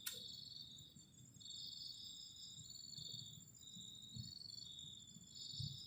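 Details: Crickets on a cold night near a garden shelter at a forest edge: continuous high, shrill trilling from several insects in stacked bands, pulsing in and out, with faint low rumbles beneath.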